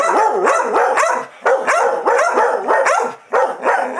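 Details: Two dogs, Chewy and Rosie, in a heated vocal squabble: a continuous stream of swooping, whiny barks that overlap one another, broken by two brief pauses.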